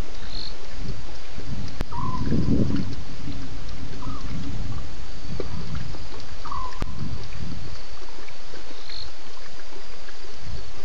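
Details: Night roaring from at least two lions at Djuma waterhole, 01:30 a.m., 11 November 2016; one strong low, rough burst swells midway before fading into a constant hiss, with brief chirps of other animals around it.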